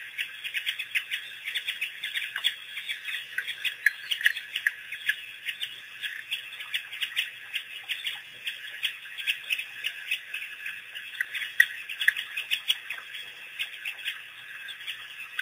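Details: A pack of African wild dogs, making their first visit to a waterhole after being released by researchers in April 2008, chatter in a dense chorus of high, bird-like twittering chirps.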